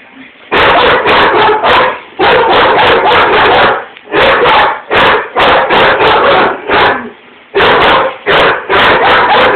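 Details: Two house dogs, a German Shepherd and a Rottweiler, barking at the window at something outside; fast overlapping bark volleys in long bursts with short gaps between.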